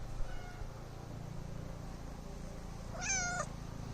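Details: Cat giving a single short meow about half a second long near the end, a clear harmonic rising-then-falling note, after several seconds of low hum with faint sounds in the background.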